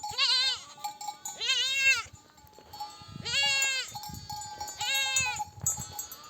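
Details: Ewes calling their lambs to nurse after a nomadic flock returns from grazing in the desert; four strong vibrato bleats, alternating with softer distant ones, with light trampling of hooves between calls.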